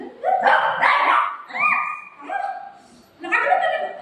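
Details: Dogs Buzo and Milo, a golden retriever and a shih tzu puppy, fighting at home: loud, tonal yelping barks in two bursts, one drawn-out rising whine in the middle, with a voice faintly underneath.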